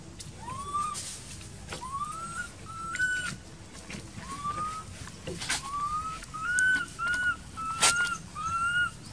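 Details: Crying baby monkey living in an archaeological park, left uncared for by its mother; clear upward-sliding whistled wails, about a dozen, coming faster and louder toward the end, with rustling and snapping sounds around.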